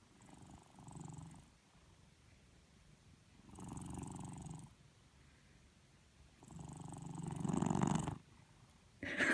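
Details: Domestic cat named Jamie snoring while asleep with eyes open: soft, low rasping breaths in slow swells, each lasting about a second or more, the last louder, with a brief sharper sound at the end.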